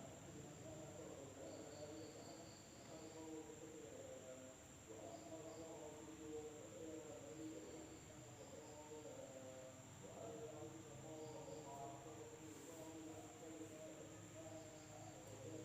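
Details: Village night in Indonesia with insects: a continuous high shrill note, occasional buzzy pulses higher still, and a dense layer of low wavering tonal calls beneath.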